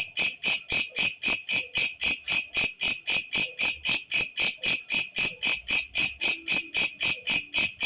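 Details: Loud night-time song of the walang kecek katydid, kept as a model sound for training cage birds: evenly spaced sizzling chirps, roughly 30 in eight seconds, piercingly high and regular, with a faint low tone near the end.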